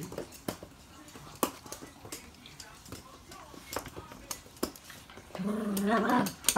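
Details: Two Toy Poodles each playing with their own stuffed toy; near the end a short, tonal, wavering whine rises and falls for about a second, after scattered clicks, taps and quiet human voices.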